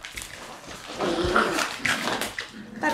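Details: On June 13 in their puppy room, young Shiba Inu dogs tussle over a dropped bag; a short, rough growling stretch rises over rustling, with a person's Japanese commentary nearby.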